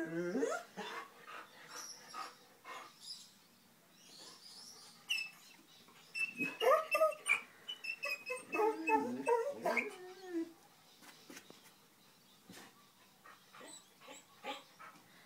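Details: Two puppies, Shanti and Achilles, vocalising at something they see or hear: a busy run of high whines, yips and short barks, rising and falling, with bursts tumbling over each other and quieter gaps between.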